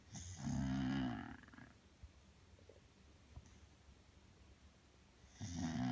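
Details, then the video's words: Sleeping Bulldog Belle gives a rough, throaty snore, then a long quiet pause with faint room noise before the next snore begins at the end. "Bulldog snoring"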